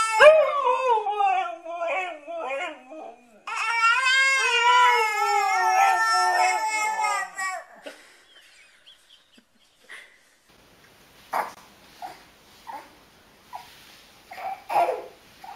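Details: Alaskan Malamute dog showing love to babies makes warbling, yodel-like howls that bend up and down in pitch. Later come quieter scattered sounds and voices.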